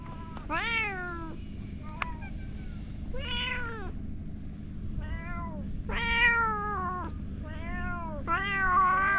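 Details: Stray cats gathering around a boss cat calling loudly; a run of six harmonic meows, each rising then falling, spaced one to two seconds apart, above a constant low background hum.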